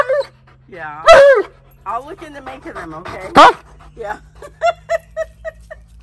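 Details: Alaskan Malamute named Tonka yells demandingly, giving two loud sliding howl-like bursts among softer grumbling vocalisations, followed by a run of short, evenly spaced yips; a person talks over parts.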